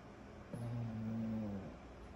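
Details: Kyro, a sleeping 14-month-old pug puppy, snoring indoors: one low, droning breath of about a second with a steady humming tone, rising out of a quiet room hush and fading away again.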